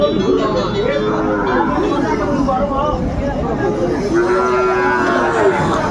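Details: Sahiwal bull calves at Ambari cattle market in Dinajpur, 21 March 2025, as trading begins: two drawn-out, mid-pitched moos under steady crowd chatter and bargaining voices.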